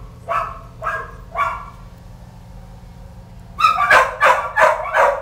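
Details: Several Kelpie pups yipping: three spaced high yelps, a two-second pause, then a louder rapid cluster of four overlapping barks, over a constant low background hum.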